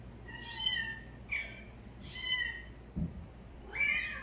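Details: Four high, harmonic meows from cats reacting to a calling sound. The calls are drawn-out and slightly wavering, one about every second, with a soft thump between the third and fourth.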